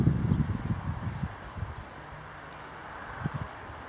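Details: Percheron cross mare named Princess moving in a paddock on July 20, 2013: a quick, irregular run of dull low thuds through the first two seconds, then quieter background rumble with a few more thumps near the end.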